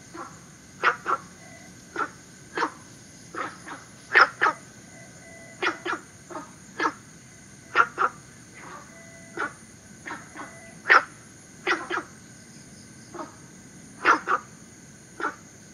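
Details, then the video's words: Günther's frog, introduced into Singapore from its native southern China. Abrupt, gruff single and paired barks repeat steadily through the recording while insects keep up a high, even whine. "Günther’s Frog"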